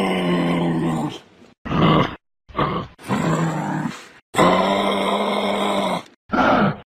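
A kangaroo gives five deep, droning grunts with breaks in between, each lasting about half a second to two seconds. No other sounds are heard.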